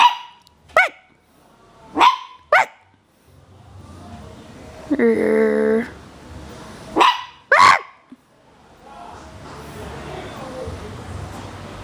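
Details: Male Chihuahua puppy, three and a half months old, hyper and playing indoors: five short, sharp, high yips come in two bunches, with a steady buzzy droning tone in the middle and faint room noise afterwards.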